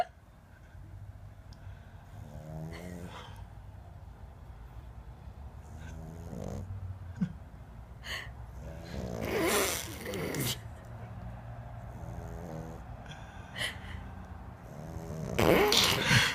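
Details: Boston Terrier puppy snoring while asleep: soft, rasping, rhythmic breaths repeating over a steady low rumble, broken by louder rustling, snorting bursts near the middle and again at the end.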